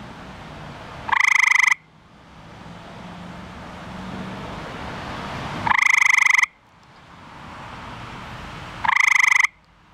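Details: Eastern gray treefrog (Hyla versicolor), a male found in a backyard pool, calling again at night to attract a mate: three short, rapid pulsed trills, each under a second, spaced about four seconds apart, over low background noise.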